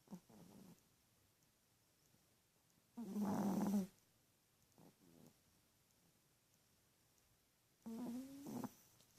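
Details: Teacup Chihuahua snoring in her sleep: rough, nasal, buzzing inhalations lasting about a second, returning roughly every five seconds, with faint snuffles in the quiet gaps.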